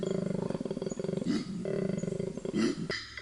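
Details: Male koala's loud breeding-season call made while seeking a female: rapid, rough, low pulsing snore-like grunts that swell and break off, then resume, played back as a recording.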